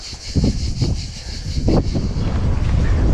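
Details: Heavy wind buffeting the microphone, with faint traffic rumble and no animal sounds.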